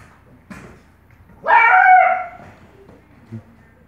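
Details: A Bluetick Coonhound puppy trying to play with cats gives one high, drawn-out yelp that slides gently downward.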